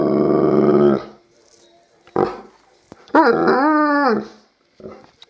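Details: Alaskan Malamute; howl; "talking" to its owner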